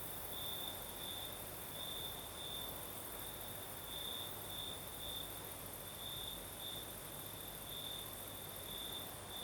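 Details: Night chorus of crickets in southern Crimea, breeze blowing: continuous high-pitched trilling that swells in short repeated bursts, roughly every second, above a steady rushing wind noise.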